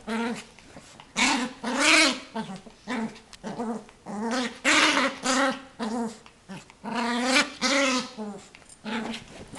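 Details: Small eight-month-old female Yorkshire terrier guarding her toy from her owner during play, giving loud, rasping growls with whiny rises, about one burst every few seconds, broken by brief gaps.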